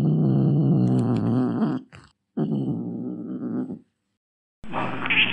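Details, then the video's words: Angry domestic cat growling in long, low, rough, throaty bursts, two drawn-out rumbles separated by a short silence, ending with a brief, harsher, breathy burst. "Real Angry Cat Meow & Hiss | Billi Ki Awaaz"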